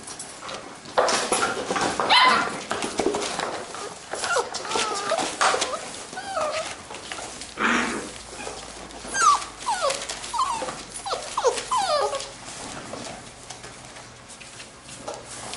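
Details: Young Labrador retriever puppies at play; short rising and falling whines and squeaky yelps come in scattered bursts over steady rustling and shuffling.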